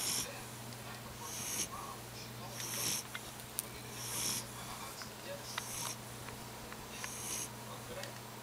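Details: Buddy, a puppy, sleeping and snoring: soft, hissy, wheezing breaths that come about every one and a half seconds in a steady rhythm, over a constant low electrical hum.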